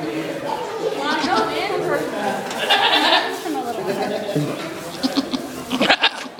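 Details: A goat at an adventure farm bleats in wavering, nasal cries over a background of human voices.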